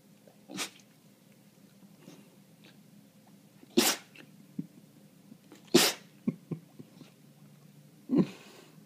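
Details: Standard long-haired dachshund sneezing on a lap at the tail end of a fit of about ten sneezes. Four sharp, explosive sneezes come roughly every two seconds, with soft snuffles between them and a person speaking quietly.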